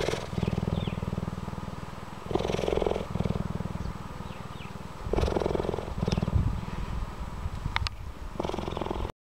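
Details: Old rescued female cheetah at a wildlife sanctuary, used to people, purring throughout an encounter with a visitor; steady low rumbling purr in long phases, swelling louder every few seconds, with faint clicks.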